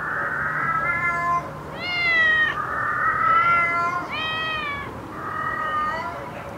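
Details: Cat sounds meant to attract cats: a run of drawn-out, overlapping meows, some rising then falling, about one every second, over a steady background hiss.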